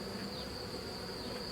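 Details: Steady droning hum from a drone-laying honey bee colony as its hive is opened and cleaned during a rescue, the bees not yet aggressive; an even, continuous buzz with a thin high-pitched whine running through it.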